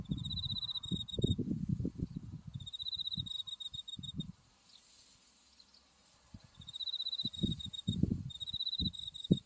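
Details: Insects of autumn singing beside a buckwheat field in white bloom, Mount Tsukuba behind. Bursts of high, buzzy trills stop and restart, with a quiet gap midway and wind thumps at both ends.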